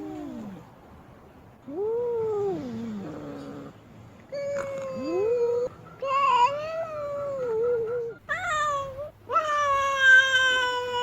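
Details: Displeased female cat stamping its feet, wailing: short falling and arched moans at first, then longer drawn-out yowls that waver and bend in pitch, rich in harmonics, with brief gaps between calls.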